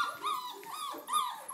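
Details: Red rust Doberman Pinscher puppies, four weeks old, playing and running around with wagging tails; several high, arching whimpering yelps follow one another closely, with a person's voice nearby.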